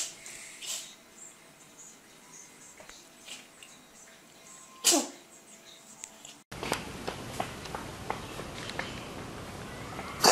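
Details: Domestic cat indoors lets out one sharp, explosive sneeze midway, a brief broadband burst over a quiet hum, after soft scattered ticks; then an abrupt shift to a noisier hissing background with clicks and a loud final pop.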